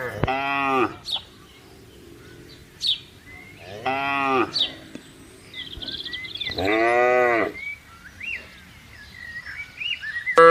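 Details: Cattle roaming freely in a vast palm oil plantation give three long, rich herding moos that rise and then fall in pitch, with birds chirping faintly behind.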